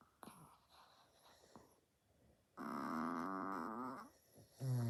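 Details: Sleeping pet Chihuahua indoors giving a loud, creepy, wavering snore with stacked harmonic tones lasting nearly two seconds. Quieter breathing comes before it, and a second loud snore begins at the end.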